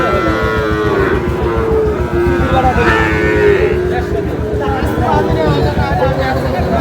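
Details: Sahiwal cattle at a cattle market in Chittagong, Bangladesh, on 1 May, where bull calves are sold: drawn-out, tonal lowing calls over constant crowd hubbub and men's voices bargaining nearby.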